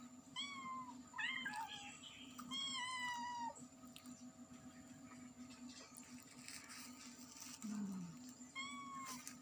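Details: Loud meowing from a cat and her kittens: a run of quick, overlapping mews, then a long, level meow, a quieter stretch with faint rustling, and a final short mew.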